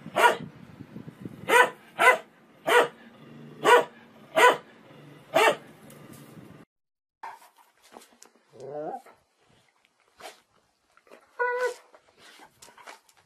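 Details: Dog in a funny compilation, barking in a steady series of sharp, loud barks roughly once every second for six seconds, followed by quieter scattered yelps and a short whining, wavering cry.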